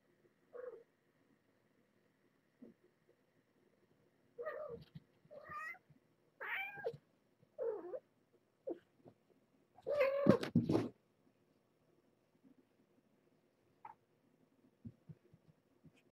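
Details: Shelter cats at Purrfect Pals, young mother Nala Se and her summer-born kittens, in a frantic play session: a loose series of short mews, a sudden loud fence crash with a squeal, then faint scattered taps.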